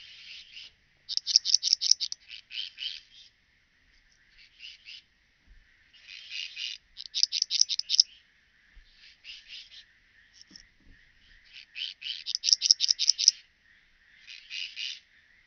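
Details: Graceful bush-cricket, Pachytrachis gracilis, at Vela Ucka, Croatia, on 30 July 2023: bursts of rapid scratchy pulses, each about one to two seconds long, alternating with softer pulse groups, all high-pitched with no low sound.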